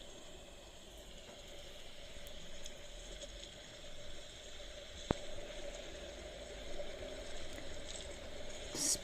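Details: Only a faint, steady hum and low background noise at an outdoor waterhole, with a single sharp click midway and a brief knock at the end.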